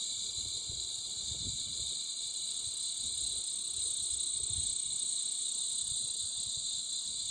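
Loud, steady insect chorus of high, shrill buzzing bands that drone on without pause.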